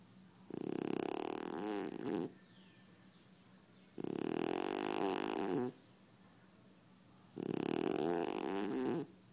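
A French Bulldog snores in long, rough, rattling breaths, each about two seconds, with quiet pauses between.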